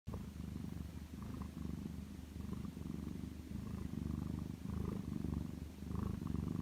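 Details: Macaron, a domestic lap cat, naps indoors on a lazy afternoon, giving a low, steady rumbling snore-like purr with soft rhythmic pulses, slightly swelling and fading throughout, in a quiet room.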